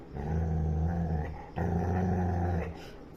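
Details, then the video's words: Labrador Retriever growling while playing with a ball: a low, rumbling growl in two long bursts with a short break between, a person talking nearby. "Angry Labrador playing with ball"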